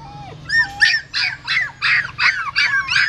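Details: Female dog in a pagoda in Siem Reap carrying her newborn puppies in her mouth from a hole in a stupa; high, harmonic yelping squeals repeat about three times a second after a soft opening whine.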